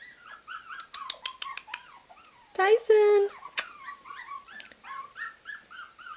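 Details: Puppies squeal in quick high-pitched arcs and sharp yips while a person talks loudly over them midway, then the thin whining cries continue in a steady run.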